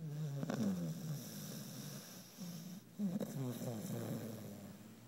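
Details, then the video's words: Alli, a worn-out puppy sleeping deeply indoors after a fun day, twisted up and twitching; loud rough snores come in wheezy, rattling pulses, the second around three seconds in, with faint background noise. "Funny Loud Snoring Zombie Alli Dog"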